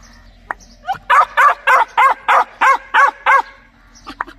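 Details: Rapid string of about nine loud, evenly spaced dog barks, roughly three per second, with a few softer yips before and after.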